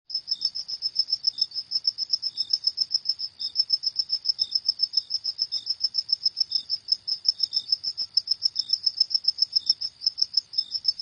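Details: Cricket chirping at night: a steady train of short, high pulses repeated several times per second, with a fainter lower chirp recurring roughly every half second; no other sounds.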